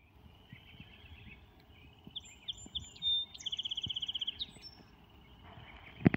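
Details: Chorus frogs give short, high, rapidly pulsed trills that rise slightly, like a fingernail run along a comb, at Boyers Road and Queensway North, Georgina.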